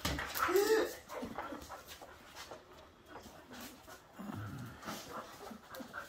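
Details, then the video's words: Two pet dogs, Bonny, a seven-month-old Bull Terrier mix, and Lucy, a seven-year-old Airedale Terrier, play in a living room in the evening. A short whining growl comes first, then scuffling and soft panting. "Bonny and Lucy playing in living room"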